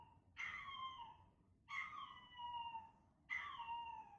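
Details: A male Chihuahua puppy named Chester gives three long howling cries. He was born in November 2019 and is being played his own recorded voice. Each cry starts sharply, then slides gently downward with clear ringing overtones, separated by short pauses.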